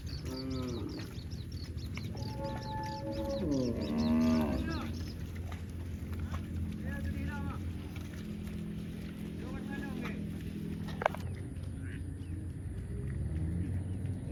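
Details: Several cow moos in quick succession, rich harmonic calls rising and falling in the first half, then fainter lowing, over a continuous low rumble with a sharp click near eleven seconds.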